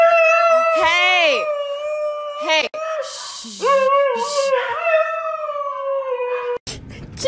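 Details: Siberian Husky named Juno 'talking' to its owner indoors, producing sustained, bending howls that swoop up and down, with a human voice calling its name and chatting in between.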